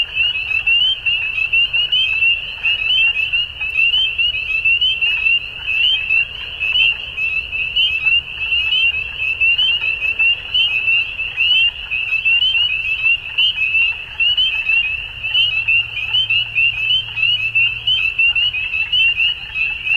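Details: Spring dusk frog chorus from Ontario, Canada, a constant wall of high-pitched peeps and trills running unbroken, many callers overlapping, with a faint low rumble beneath.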